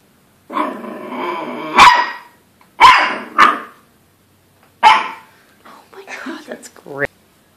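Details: A Dachshund puppy barks at its reflection in a mirror, giving sharp, high little barks spaced a second or so apart while a person talks.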